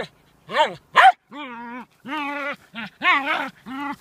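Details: Two abrupt barks come first from a dog that dances and plays with stones. Longer, harmonic, moaning whines follow, each lasting about half a second and bending up and then down in pitch.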